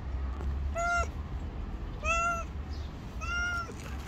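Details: Female stray cat waiting for food from a person she fears yet does not flee; three drawn-out, slightly rising meows about a second apart over low rumbling noise.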